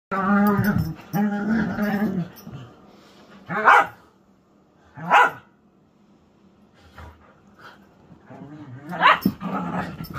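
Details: Whippets at play, the first two seconds filled with low, rumbling harmonic growls, followed by sharp, loud barks near four, five and nine seconds, with quieter yips and growls in between.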